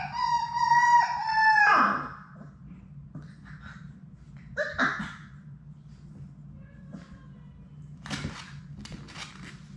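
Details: Labrador Retriever puppies playing indoors, from Sadie's six-puppy litter: a long, level, tonal howl-like whine that breaks off and then falls away, followed by brief yelps and scattered faint scuffling sounds over a low room hum.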